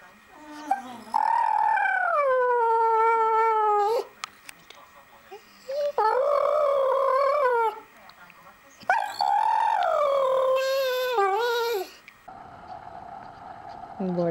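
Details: American Staffordshire Terrier giving three long, wavering howls, each drawn out for about three seconds with rich upper harmonics, pitch dipping and rising within each phrase, separated by short quiet gaps; brief human voice at the end.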